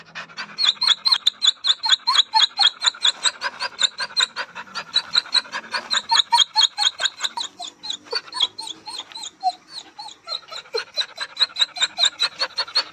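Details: Dog whining in an environment it is not familiar with: a long, loud, regular train of quick breathy pulses with high squeaky whimpers in each. It falters briefly near the middle, then resumes at the same pace.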